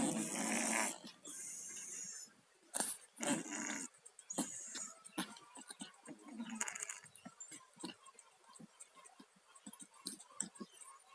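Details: Two pet cats, Tayen and Lilu, both suffering from colds, snoring while asleep: irregular raspy, wheezy breathing bursts, loud and noisy at first, then softer snorts and snuffles trailing off.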